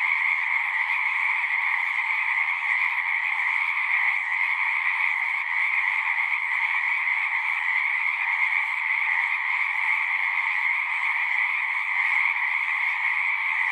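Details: Unbroken chorus of singing frogs, countless overlapping calls blending into an even, high-pitched trilling hum with a fainter lower band, steady in loudness throughout.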